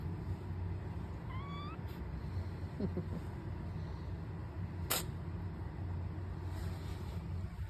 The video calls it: Kitty meows and sneezes